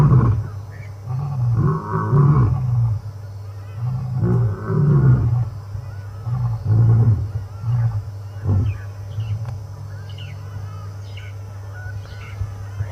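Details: Male lions on a safari drive, previously grooming and licking each other's faces, roar together in synchronized deep, booming bursts that fade into a run of low grunts.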